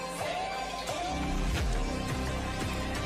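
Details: Music with plucked strings and a steady beat plays throughout, with no animal sound audible.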